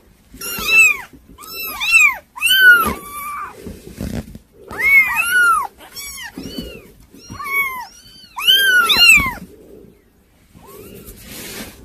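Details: Several kittens mewing in quick succession, high arched cries rising then falling, often overlapping in bursts about a second apart, with short pauses and soft shuffling noises between them.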